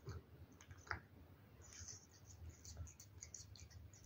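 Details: Domestic cat eating wet food: soft, irregular wet clicks and smacking chews scattered through the clip, a sharper click near one second, over a faint steady low hum; quiet, close and intimate.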